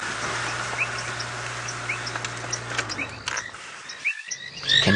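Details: At sunset on 23 February 2017, in dreary weather near a dam on a game-reserve drive, a mixed frog chorus gives short ticking and chirping notes over a fading engine hum; painted reed frogs tick, and banded rubber frogs are possibly present.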